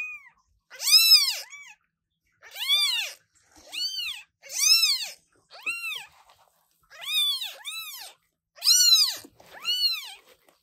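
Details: British Shorthair newborn kittens, offspring of parents Coffee and Milk, meowing very loudly indoors: a rapid series of high, arched, harmonic-rich cries, each about half a second long and repeated roughly every second, with short silent gaps.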